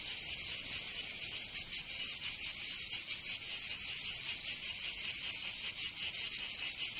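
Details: In the south of France, Provence, cicadas sing in summer: a sustained high-pitched rasping drone beating in fast, slightly uneven pulses, steady in loudness from start to end.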